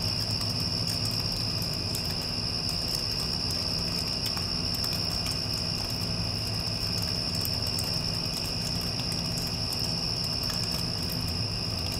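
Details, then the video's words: Crickets after a passing storm, a steady unbroken high-pitched trill running throughout over the constant low hum and rumble of an air conditioner. "Cricket Sounds with Air Conditioner (After Passing Storm)"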